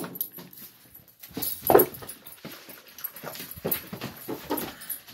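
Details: Ten-month-old Gollie puppies indoors, waiting to be served breakfast during a morning ritual while the adult dogs look on; brief high whimpers amid clattering, scuffling and bowl noises.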